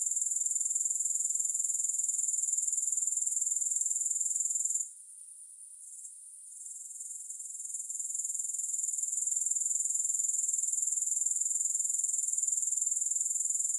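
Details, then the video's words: Grasshoppers, offered as a no-music sleep and relaxation recording, keep up a steady high-pitched pulsing trill. Fast regular chirps run without pause except for a brief drop near the middle, when the sound thins to a faint hiss before returning. "Grass Hopper Sounds"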